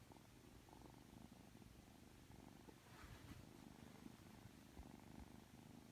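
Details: Affectionate purring from Aki, a Ragdoll kitten aged three months, right after waking: a low buzzing purr at the start and end, with a brief rustling noise in the middle.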